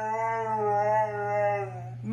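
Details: Siberian Husky howling in a drawn-out, steady tone lasting about two seconds, its pitch wavering slightly before fading at the end, apparently indoors while its owner scolds it over pizza crusts.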